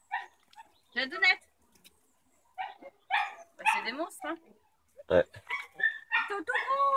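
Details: Black-and-tan Beauceron puppies meet Manchester Terrier puppies for the first time. High, sharp yapping barks come in short bursts with quiet gaps between them, and several overlapping yips are heard near the end.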